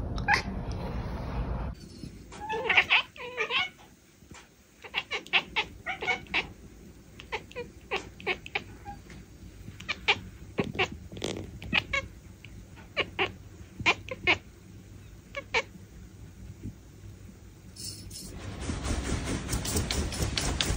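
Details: Bengal cat chattering: quick bursts of short clicking chirps repeated irregularly for about fifteen seconds, set between stretches of broad rustling noise at start and end.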